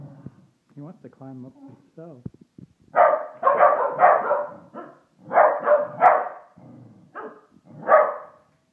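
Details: Austin, a pet Pembroke Welsh Corgi, barks at a Christmas toy in a small room. Low, tonal vocal sounds open the recording, then a run of loud, rough barks follows in quick pairs and triplets.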